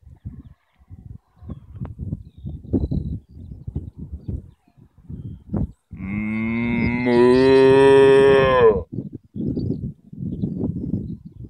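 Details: A cow in a field in Ireland gives a single long, loud moo of close to three seconds, its tone dipping at the finish, amid repeated low rustling noises.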